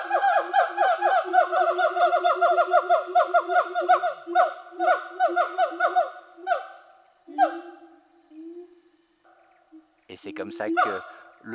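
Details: Territorial song of siamangs released in Sumatran forest more than a year ago, the female joining the male: a fast, rhythmic series of booming barked whoops gives way to slower drawn-out calls, a pause, then a final burst.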